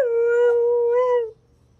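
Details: Pet Siberian Husky howling indoors: one long, steady, harmonic-rich tone held for over a second, with a slight rise and wobble near the end before it stops abruptly, followed by a quiet room.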